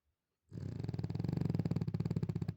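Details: Sleeping bulldog in the morning giving a loud, continuous low snore, a rough fluttering rattle that builds and holds for about two seconds indoors.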